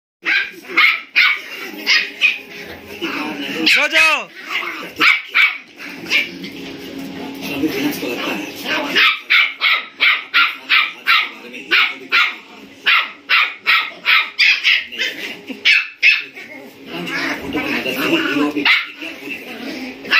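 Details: Two German Spitz (Indian spitz) puppies, 57 days old, play-fighting aggressively: a rapid series of sharp, high yapping barks, several per second, with one drawn-out whining yelp early on and quieter growly scuffling between bursts.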